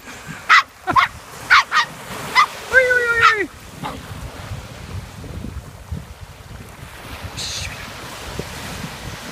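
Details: Nelly, a bouncy Miniature Poodle, gives a run of short sharp barks about once every half second, then a drawn-out whining yelp that slides downward, over steady surf-like background noise.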